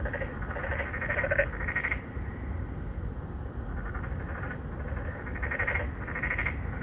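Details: Three or four narrow-mouthed frogs, an endangered species, courting females in an apartment-complex pond in Songdo, Incheon, Korea, filmed on a Galaxy Note9. Overlapping bursts of buzzy, pulsed croaks come in two clusters, with a steady low rumble beneath.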